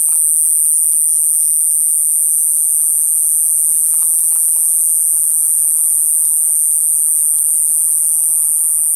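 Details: Buzzing katydid (Pseudorhynchus lessonii, ID to be confirmed), found 4 September 2020 in the Coffs Harbour region, NSW, Australia, gives a piercing, very high, unbroken buzz that holds steady throughout.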